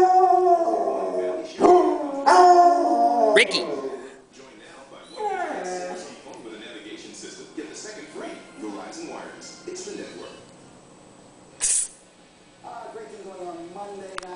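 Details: Household dogs Sugar, Rickey and Lana in a howling session: a loud wavering group howl at first, fading into softer whimpering, quavering notes and scattered yips, with a woman's voice interrupting.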